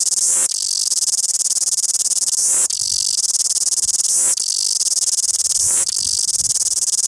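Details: Loud cicada song from Wellington: a harsh, metallic high-pitched whine in steady blocks of about one and a half to two seconds, each separated by a quick dip, with faint low rumble underneath.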